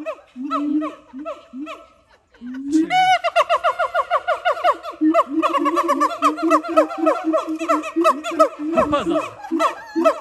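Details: Siamang at Dubbo Zoo in Australia, giving a series of tonal hooting notes with short gaps. From about three seconds a fast, loud run of rich, swooping notes follows, rising and falling repeatedly, with faint laughter nearby.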